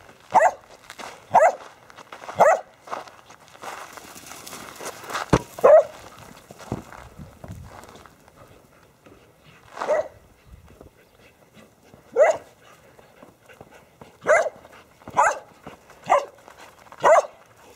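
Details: Border Collies excited during a soccer game with a basketball, Ramsey now 11 years old among them; loud clipped barks, several quick runs of two or three, with a pause mid-clip and light rustling.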